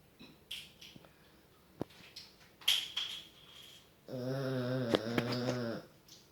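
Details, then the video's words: Fat pet dog sleeping indoors after Thanksgiving: soft snuffles and faint breaths, then one sustained low, droning, buzzy snore lasting almost two seconds with a clear rich tone. "FAT DOG SNORING after thanksgiving"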